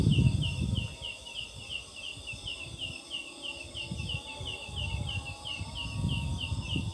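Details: Night call of a large leaf katydid (belalang daun, locally ciang ciang) that sits in jackfruit trees: rapid high chirps repeated roughly four times a second, bird-like in tone, with low rumbling noise in the background.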